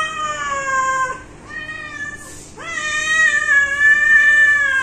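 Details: A pet cat gives two long, drawn-out meows, the first held steady for about a second, the second rising sharply and then sustained in a strained, nasal tone for over two seconds.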